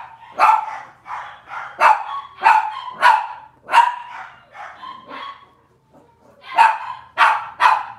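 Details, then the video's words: Robin's litter of Cavalier King Charles Spaniel puppies, on an indoor kitchen livestream on a Wednesday morning, give a run of sharp, high yips about every half second, a brief lull, then three more loud barks; low electrical hum behind. "Cavalier Puppy Live Stream: Robin's Puppies"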